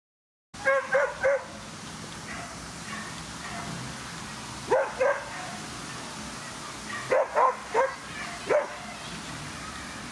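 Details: Whippets at the Twin Cup 2017 racing competition in Latvia, with Weikotin Superpuma and Besties Wasabe entered. Sharp, excited barks come in quick clusters of three or four, separated by pauses over a steady crowd-like background hum.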